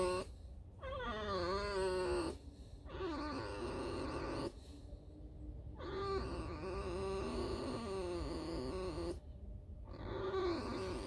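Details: Female fox in an enclosure, in the mood to scratch and squeak while resting: long creaky, wavering whines with stacked harmonics in several stretches, broken by brief pauses.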